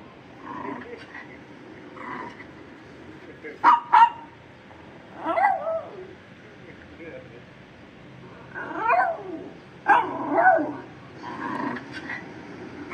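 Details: A Shih Tzu reacting to different sounds gives a few short, sharp barks and yips among other voices and sounds.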